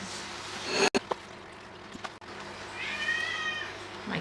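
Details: Domestic pet cat meowing indoors while someone bakes muffins: one drawn-out, tonal meow near the end, preceded by kitchen clatter, sharp clicks and a steady low hum.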